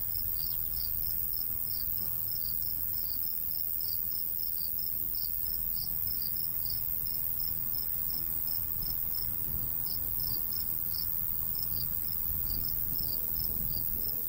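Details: Natural cricket sounds of a summer countryside with a golden wheat field and light breeze; high chirps pulse rapidly and continuously, sometimes in tight clusters, over faint low wind.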